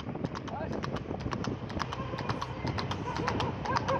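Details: Fast-running horse on a road, rapid irregular clip-clop of hooves about two per second on hard surface, with faint voices and a low continuous rumble beneath.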